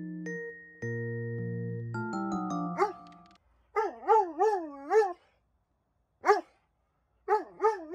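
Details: Dobermann with separation anxiety, distressed at being left alone, after a few seconds of music gives a run of wavering, rising-and-falling whines, then two more short whining howls after pauses.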